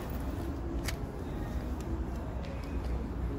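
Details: Low urban traffic rumble fills a backstreet, with a few sharp clicks and no animal voice standing out.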